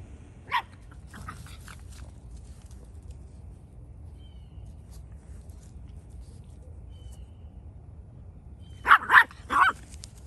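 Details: Echo, an 11-week-old West Highland White Terrier puppy, exploring outdoors; a single sharp yip early, then a quick burst of three high barks near the end, with quiet background between.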